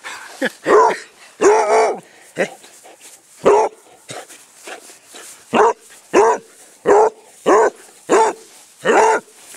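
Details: Basset hound Squiggy, a rescue adopted from Arizona Basset Hound Rescue in Phoenix, Arizona, being chased in play on a small patch of grass; loud bursts of barking in irregular clusters, about a dozen barks, with a person's voice coaxing early on.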